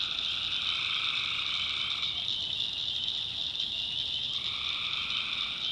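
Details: Backwoods North Carolina night: tree frogs keep up a bright, continuous high trill; a lower buzzy two-note drone sounds for the first two seconds, falls silent, then resumes near the end.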